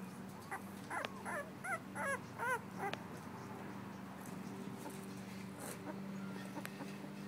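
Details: Two-week-old female blue-nosed American Pit Bull Terrier puppy, recorded in December 2011, squeaking in a quick burst of short, high, bending whines for a few seconds, then falling quiet against a constant low electrical hum.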